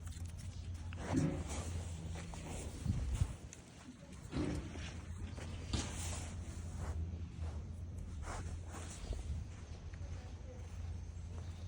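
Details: Dominant sika deer in Nara Park, Japan, snuggling up to a person while other deer keep away; brief low grunting noises come in short bursts over a steady low rumble, with rustling and handling sounds close by.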